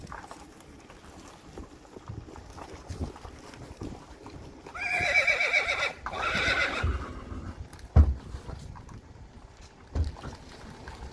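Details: Friesian horse colts, a herd being let out to pasture on April 20, 2019; one loud whinny of about two seconds, quavering and falling, over soft hoof clops and rustling, with a sharp knock near the end.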